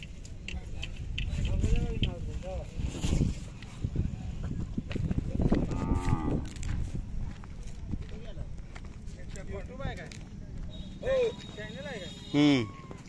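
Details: Khillar cattle at the Kole village fair, Sangola taluka, Solapur district, held 18–22 May 2024, with young bulls and bulls offered for sale; low, drawn-out moos with curving harmonics near six seconds and near the end, over steady crowd chatter.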